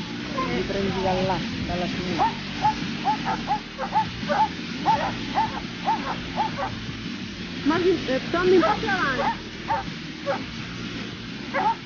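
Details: Dobermann barking during a training session at the Latina Dobermann Day, 14 September 2014. Quick, uneven barks break through steady Italian talk and background chatter, with a denser burst near the end.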